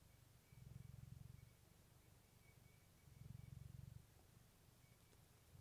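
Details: A pet cat named Clementine purring, recorded close with a fluffy microphone for relaxation; low rumbling purr swells in two long bursts with quieter pauses between, soft steady background hiss.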